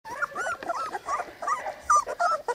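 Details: Litter of three-week-old Cane Corso puppies squeaking and whimpering together, overlapping high, bending whines and short yelps tumbling over one another in quick succession, loud and close, with no other sounds.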